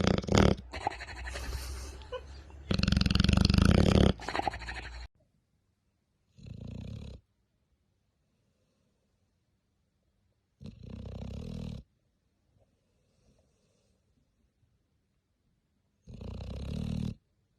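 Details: Dog snoring in loud, low, rasping bursts, a long noisy stretch at the start followed by separate snores roughly every four to five seconds with silence between.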